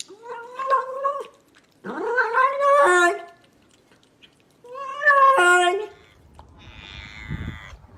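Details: Domestic cat making weird drawn-out yowling cries, three separate wavering moans, each rising then falling, with a gargling edge and pauses between them.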